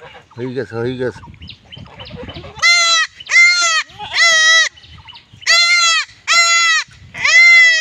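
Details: Young village goats during castration bleating loudly: six strained, nasal bleats in a row, each about half a second long with rich harmonics, separated by short pauses, after brief human voices at the start.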